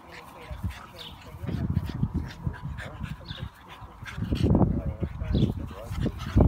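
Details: Staffordshire Bull Terriers in a fight growl in deep, rumbling bursts, with people talking in the background.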